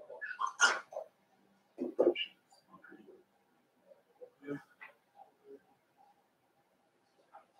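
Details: Five-week-old Cavalier King Charles Spaniel puppies in Daisy's indoor puppy pen: a cluster of high, squeaky whimpers and yelps in the first second, another sharp yelp near two seconds, then scattered soft grunts and whines in a quiet room.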